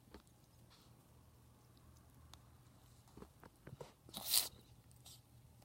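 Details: Ferret with a cold, sneezing indoors: after a few soft scuffles, one loud, sharp, hissing burst of noise cuts through, followed by quieter rustling in a small room.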